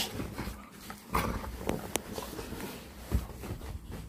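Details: Bully bulldog in a play fight on a bed indoors; short low grumbles and a brief whimpering note, broken by sharp thumps and rustling of bedding.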